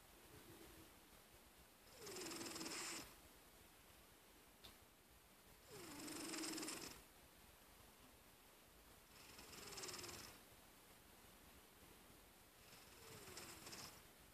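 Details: Napping house cat snoring: four soft, airy breaths roughly every three and a half seconds, each carrying a faint falling whistle, with a low steady background hiss between them.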